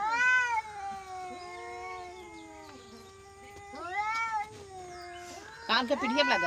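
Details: Angry village cat letting out a short meow and then a long, level, whining wail that bends up and down, followed by a second rising-falling meow and a brief rough noise at the end.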